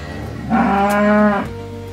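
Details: A single cow moo, a steady, rich, low bellow of about one second, over faint background music.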